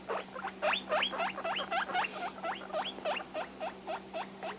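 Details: A female guinea pig wheeks with loud rising whistles repeated several times a second, upset because she can't find or see her sister.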